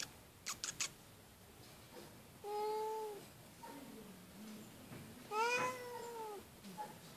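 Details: Loud meowing from a female feral cat living at an animal shelter. There are two drawn-out meows a few seconds apart, each rising then sliding down, with faint clicks and a low murmur between them.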